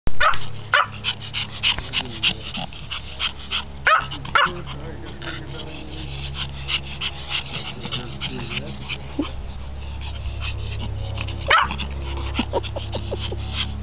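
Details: Senior male Japanese Chin at the NE Ohio Chinfest barking for his owner's attention; sharp, sparse yappy barks spaced several seconds apart over steady crowd chatter and clatter.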